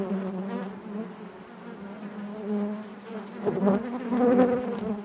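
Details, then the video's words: Loud, close buzzing of bees within their hive: a deep, steady drone rich in overtones. It dips slightly midway, then grows louder and more agitated toward the end. "bees therapy hive natural buzzing sound"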